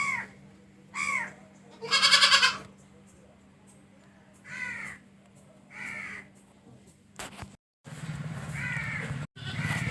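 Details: Goat bleating repeatedly: short nasal calls roughly every second or two, one louder harsh tremulous bleat, then a burst of handling noise and more short bleats.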